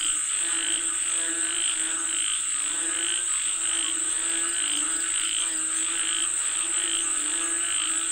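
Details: Frogs calling for rain: a dense chorus of overlapping, pulsing croaks with layered harmonic tones, rising and falling in irregular bursts, over a steady high-pitched insect-like hiss.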